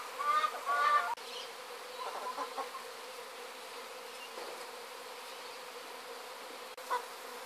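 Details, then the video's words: Bees swarming from a hive in Sydney make a steady, diffuse buzzing that continues throughout, with a brief louder burst near the start and a short knock later on. "bee swarm 2012"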